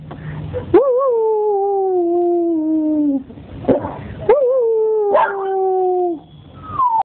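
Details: Belgian Tervuren giving repeated howls: two long, slightly wavering notes that drift gradually downward, each about three seconds, separated by brief breaths, ending with a short higher falling wail.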